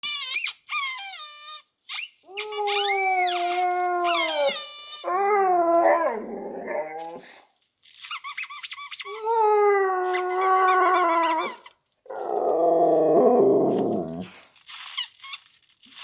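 A husky answers a squeaky noise with drawn-out, wavering howls and yodeling grumbles.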